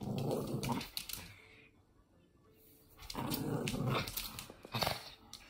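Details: Monkey, a Toy Fox Terrier dog, growling while playing indoors; low rumbling growl bursts at the start and again from three to four seconds, with rustling and handling noises and a quiet gap between.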